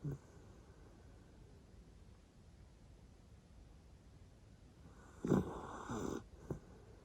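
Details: A Jack Russell Terrier in deep sleep, one of four kept as house pets in a multi-dog home, breathes softly at first. Two loud, rasping snores follow near the end, then a brief snort.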